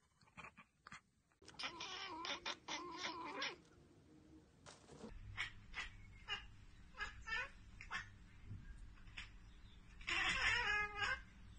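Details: Domestic cat chattering at a bird or insect it cannot reach: a drawn-out, wavering meow-like cry, then a run of quick clicky chirps, and a louder strained cry near the end, indoors.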